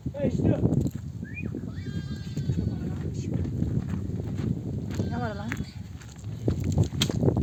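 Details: Mother sheep of a nomadic flock, back from desert grazing, bleat for their lambs to suckle; two quavering, tremulous bleats stand out over steady flock rumble, with a man's voice talking nearby.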